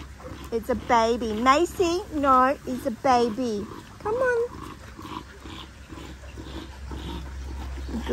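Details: Linc, a young Australian cattle dog puppy, playing in a paddock with bigger puppies: a quick run of short, rising-and-falling yelping whines, several in a row, then one longer cry, with a person talking nearby.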